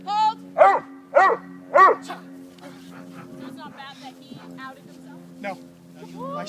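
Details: Boss, a Neapolitan Mastiff in bite work training, barks three times in a quick deep rhythm about half a second apart, then a handler talks over a steady background hum.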